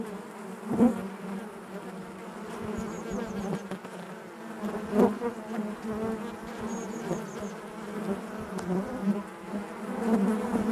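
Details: A constant low droning hum of honey bees in their hive, with occasional sharp louder buzzes from individual bees passing near and a faint high twittering briefly in the background.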